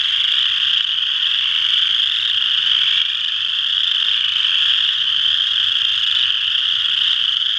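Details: Western chorus frogs calling together at Ojibway Park, Windsor, Ontario, forming a dense, unbroken high-pitched trilling chorus that holds steady throughout, with a faint low rumble beneath.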